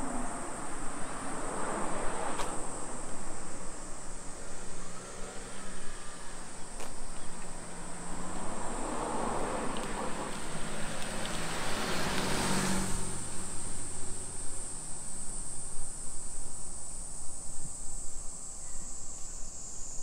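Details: Cicadas singing at 2 PM on 28 July 2021 along streets in Nisshin city, suburban Nagoya, Japan, during summer: an unbroken high shrill whine runs throughout, while a vehicle swells past near the middle and low traffic rumble continues.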